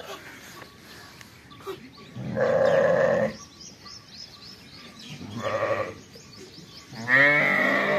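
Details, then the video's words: Sheep farming with fall lambs: three rough bleats spaced a few seconds apart, the last rising and cut off at the end. "sheep farming/lamb sounds/ the fall lambs/بھیڑ کی اواز"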